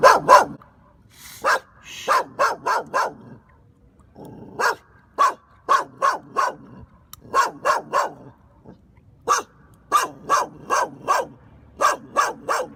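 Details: A puppy chews a dog chew. Sharp, crunchy clicks come in quick runs of three to six, with short pauses between bursts and a faint low rustle in the gaps.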